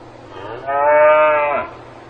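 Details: Single steady moo from a cow on a farm, about one second long, loud and richly harmonic with a slight dip at its close, set against a soft low hum.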